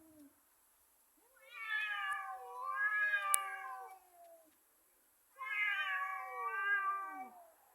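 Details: Two cats in a fight, yowling in two long wailing phrases that swell, waver and slide downward, separated by a brief silence.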